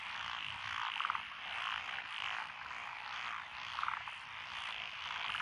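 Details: Lotus rice paddies in Echizen, Fukui, on 12 June 2021 ring with a mixed frog chorus of tree, pond, wrinkled and green tree frogs. Thick overlapping croaks, with quick pulsed rattles rising out near one second and again near four seconds.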